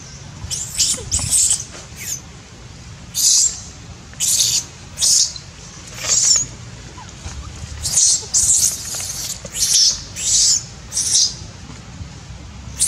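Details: Young monkey Dito, disciplined by its mother Daisy, cries loudly in shrill, noisy screams. Each lasts under a second and they come in uneven bunches about every second or two, over faint low background hum.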